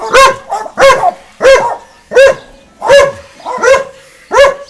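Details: Two dogs barking at each other across a garden fence. Seven loud, sharp barks come in a steady series, about one every two-thirds of a second, with short gaps between them.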